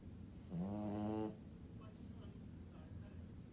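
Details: Sleeping French Bulldog snoring indoors: one drawn-out, harmonic-rich nasal snore lasting under a second, then quiet breathing with faint soft noises.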